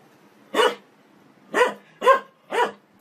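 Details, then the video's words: Dog from a compilation of funny barking dogs gives four short, sharp barks, the first alone, then three closer together about half a second apart, with faint hum underneath. "Dog Barking Sound"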